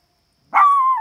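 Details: Dog named Pandora or Maximus at a campsite, barking at coyotes smelled nearby; a single sharp bark drawing out into a sustained, wavering howl-like tone.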